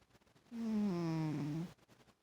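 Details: Snoring from a fat pet cat: a single drawn-out nasal tone lasting about a second, sliding gently downward in pitch, surrounded by quiet.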